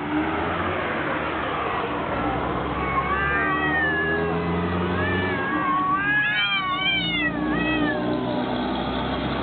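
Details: Two cats fighting, with steady background rumble: short bent yowls around the middle, then a cluster of sharper rising-and-falling wails near the end.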